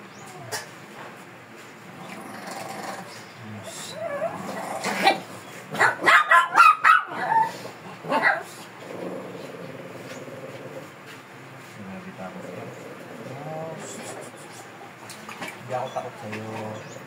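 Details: A Shih Tzu described as fierce, barking in a rapid burst of about half a dozen harsh yaps mid-way through its grooming session; quieter murmured human speech before and after.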